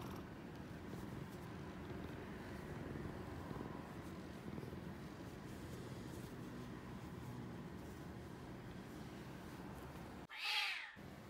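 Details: A male Bengal cat purrs with a steady low rumble while being petted, ending with a brief higher vocal sound.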